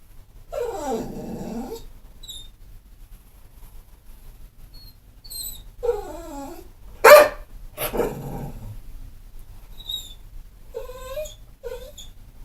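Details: A pit bull, not mean or vicious, giving wavering whine-like vocal sounds, one sharp bark in the middle, and short squeaky yips near the end.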